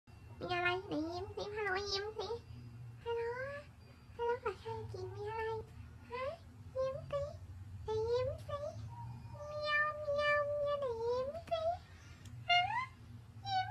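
A corgi gives a run of drawn-out, whiny, yodelling vocalizations that bend up and down in pitch.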